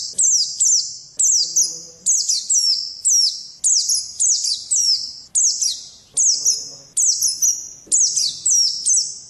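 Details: White-eye (pleci) kept as a contest pet bird, pouring out continuous high, ringing chirps in quick clusters of two to three descending notes, with faint low background sounds.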